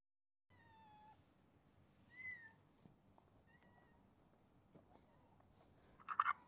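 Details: Ginger stray street cat meowing at a midnight feeding: a drawn-out, level meow, then a shorter higher meow and a faint one, over a low background hum, ending in a brief sharp clatter.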